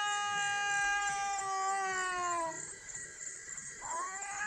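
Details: Two domestic cats, one white and one brown, crying with a child-like voice: long drawn-out harmonic wails that slowly fall in pitch, then a rising cry near the end.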